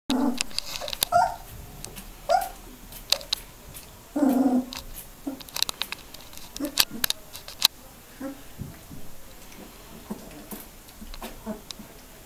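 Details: Three-week-old Border Collie puppies learning to play and vocalise indoors: soft high whines and squeaks in short scattered bursts, with light clicking and scuffling between calls.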